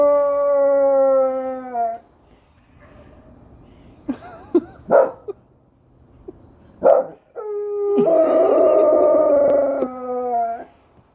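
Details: Howling at coyotes, a dog gives a long falling howl, then several short yelping bursts, and finally another broad, slightly raspy howl that wavers before dropping away.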